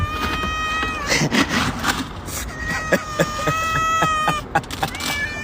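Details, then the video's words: A domestic cat gives drawn-out, slightly rising meows while a person calls it over in Arabic; brief music and handling noises in the background. "الأصوات اللطيفه😊"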